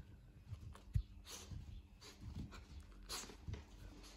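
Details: Pomeranian panting in a small room: soft, low, huffing breaths in quick rhythmic puffs about twice a second, with one sharp thump near the start and a faint steady hum behind.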